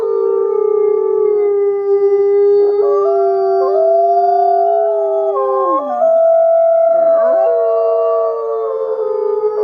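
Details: Wolves in a chorus of overlapping howls, several steady tones at different pitches sounding together with occasional swoops and dips.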